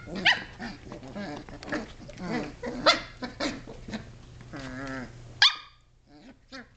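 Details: Playful barking from 7.5-week-old Sheltie pups climbing and wrestling in a great room, one named Ruby in a laundry basket; sharp, high yaps roughly every couple of seconds, a drawn-out whiny yelp near the end, then quiet.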